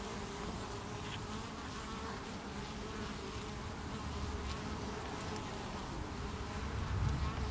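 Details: Hive of honey bees on 8 August 2018, repelling beewolf wasps (Philanthus triangulum) and carrying out an intruder below the landing board. A constant deep droning buzz that swells slightly louder toward the end.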